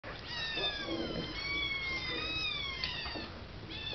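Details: Three five-week-old kittens at their evening KMR milk feeding, crying in overlapping high meows that rise and fall, several long drawn-out calls layered across the whole stretch, with light background noise.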